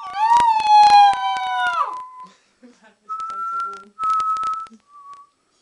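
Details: A two-month-old Alaskan Malamute puppy, playing and howling in a small room, gives a high, steady howl of about two seconds that sags sharply at its close, then three shorter, thin, even-pitched whines amid soft knocks.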